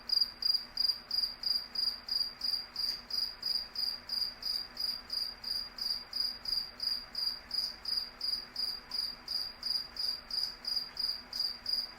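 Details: Cricket. A cricket gives a steady run of high, trilled chirps, each a brief pulse repeated about three times every second. The rhythm holds even throughout, with a faint low hum underneath.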